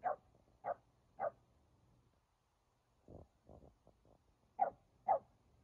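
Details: Dogs barking during a playful stand-off between a Keeshond and a Boston Terrier: three short, sharp barks about half a second apart, then softer low grunting sounds, then two more sharp barks near the end, in a quiet room.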